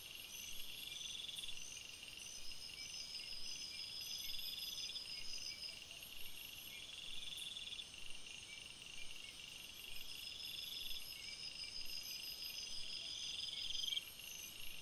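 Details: Crickets chirping in a forest at night, many insects trilling together in a steady shrill wash, with intermittent rapid pulsed bursts and brief sharp clicks rising above the chorus.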